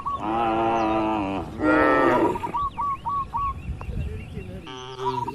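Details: Cattle herd roaming and grazing in an open rural field: two long, loud harmonic moos back to back, the second rising and brighter, then a run of short repeated chirps from a nearby bird and a final shorter low moo.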